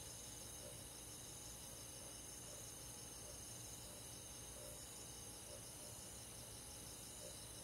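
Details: Crickets and other grass insects on a midsummer night in a countryside forest, heard as a steady, shimmering high-pitched chorus of layered pulsing trills, with a faint low rumble underneath.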